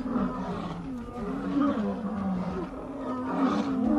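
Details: A male lion being bitten by an attacking female, with steady, throaty snarling that has wavering tones and swells and fades without a break.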